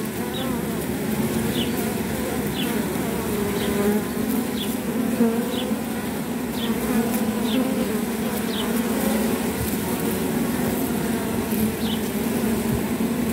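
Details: Honey bees at a hive, one bee picking pile off an intruder bee from another hive to stop her from flying; a steady low hum of many bees throughout, with faint brief higher buzzes every second or so.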